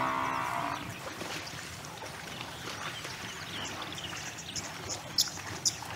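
A wisent gives one short, hoarse, lowing call at the start, like a cow's moo. A steady hiss of background noise and faint high chirps follow.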